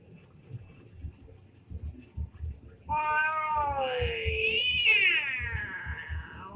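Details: Domestic cats in a fight, an orange cat among them: soft low thumps, then a loud, rising and falling caterwaul with a wavering pitch that runs on for nearly four seconds.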